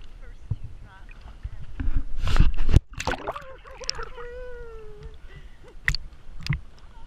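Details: Underwater at Ha'apai, Tonga, where three humpback whales swim, a loud splashy burst gives way to a single sliding, slightly falling whine of about a second, with scattered clicks and low water noise around it.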